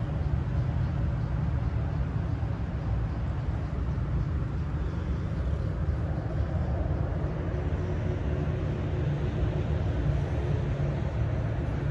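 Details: Steady low rumble of passing vehicles on an urban street, with no animal voice heard.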